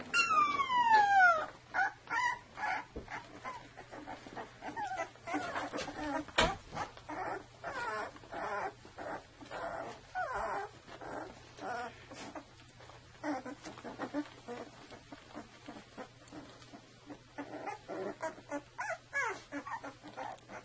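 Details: Two-week-old Saluki puppies from one litter whimpering and squealing in a rapid, irregular run of short, rising and falling whines, with a sharp high sweeping squeal at the start.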